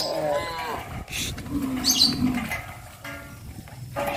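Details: Morning in the countryside as cows walk toward green pastures calling their friends: a short harmonic moo opens the recording, followed by a lower, droning bellow, with faint high chirps in the background.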